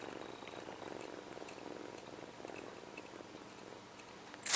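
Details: HAL, a kitten taken early from his mother, purrs as he sucks his paw; even, rapid pulsing rumble continues for several seconds, ending in a sudden loud burst like a sneeze.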